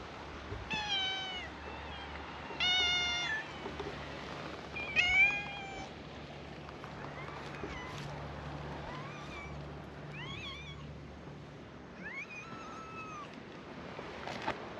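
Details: Many cats greeting tourists at a scenic viewpoint on an island; a series of clear harmonic meows, several rising then falling, some short and bent, repeated irregularly over steady background rumble.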